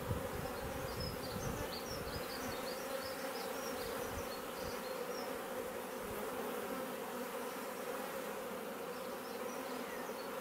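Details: Swarm of honey bees moving into a bait hive in a Leicestershire garden, England, in June, bees coming and going: dense, steady low buzzing hum throughout, with faint high chirps of small birds scattered across the middle.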